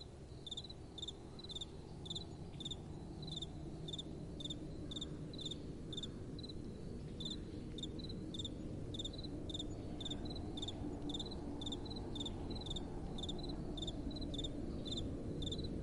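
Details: Nocturnal crickets give a steady train of rapid, evenly spaced chirps, about four per second. Soft wind blows throughout, swelling gently in the middle.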